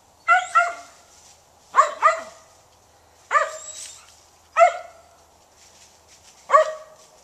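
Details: Mountain Feist hunting squirrels in woodland alongside other dogs, barking in sharp bursts, several doubled, about every one and a half seconds over seven seconds.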